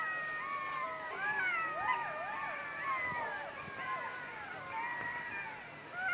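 Several jackals howl together, their high wavering voices sliding up and down and overlapping.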